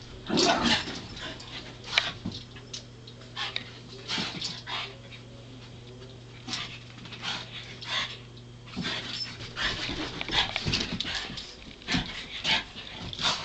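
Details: Two puggles getting acquainted, scattered high whimpers, short yips and scuffling noises at uneven intervals, with a steady low electrical hum in the background.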